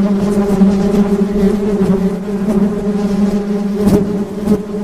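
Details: Droning hum of honey bees, constant and low-pitched with bright overtones, a brief louder pass near the end as one bee comes close.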